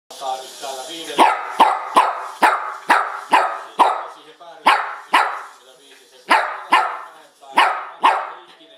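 A dog barks repeatedly in sharp, loud bursts, roughly two a second with brief pauses.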